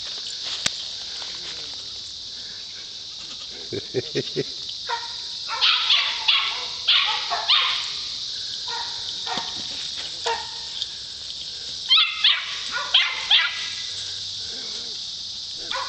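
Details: Poodle named JJ herding goats, barking in short irregular bursts through the second half, over a steady high hiss, with a person urging it on.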